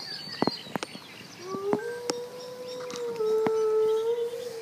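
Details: Captive wolves in a zoo: a single steady howl begins after a sharp click and holds a smooth, even pitch for about three seconds, with a faint higher overtone; scattered clicks and knocks come before it.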